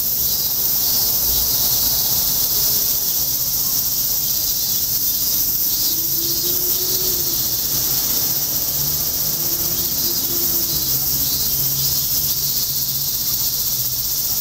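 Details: Insects singing in August near Rikugien Gardens in Tokyo; a dense, unbroken high shimmering chorus over low background hum and faint traffic rumble.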